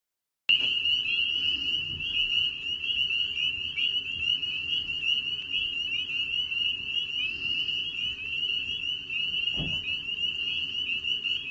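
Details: Spring peeper (Pseudacris crucifer) breeding chorus of males calling in early spring, high shrill peeps merging into one steady, piercing ring.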